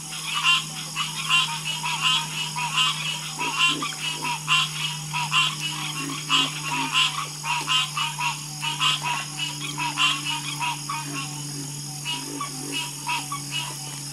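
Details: Many frogs croaking at once, a loud, crackling chorus of rapid pulsed calls with scattered deeper croaks, swelling and easing irregularly over a low constant hum.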